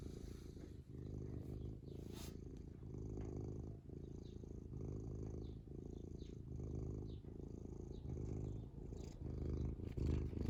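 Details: Contented house cat purring happily, a deep, even rumble that pulses rapidly and rises and falls with its breathing; a faint click or rustle interrupts near the start.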